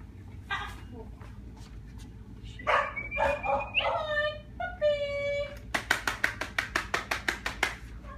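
Golden retriever cross miniature schnauzer puppies give high, tonal whines and yelps, then a run of quick sharp yips.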